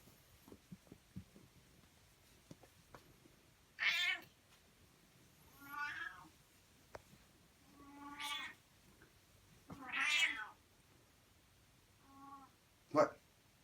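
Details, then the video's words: Demanding house cat meowing indoors, five drawn-out, harmonic meows spaced about two seconds apart, some rising then falling, the last one short and abrupt, with faint soft clicks in between. "My Demanding Cat!"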